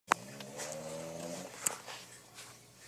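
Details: A male English Bulldog snores while asleep with a low, droning, buzzy rumble lasting over a second, before he wakes up.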